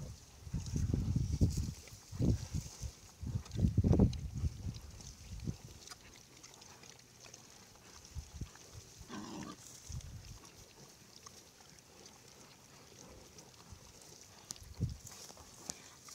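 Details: Pig grunting in low, rough bursts, a cluster of quick grunts in the first few seconds, then scattered softer grunts over a steady background hiss outdoors.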